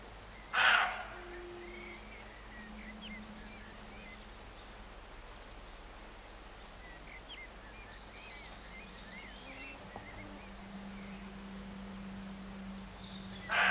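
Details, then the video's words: Roe deer barking near Morpeth, Northumberland, in August 2012: one harsh, abrupt bark near the start and another at the very end, separated by quiet rural background with a steady low hum and faint distant bird notes. "Roe Deer Barking"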